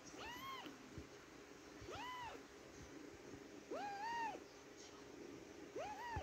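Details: Young kitten calling repeatedly without stopping, giving four clear, arched meows that rise and fall in pitch, each under a second long, separated by pauses of one to two seconds, against a quiet room hum.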